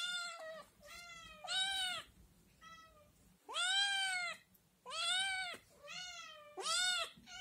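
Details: Litter of Scottish Fold and Scottish Straight kittens at home, loudly meowing to be fed. Insistent, high, rising-then-falling meows come in quick succession, some short and thin, others long and drawn out, nearly overlapping.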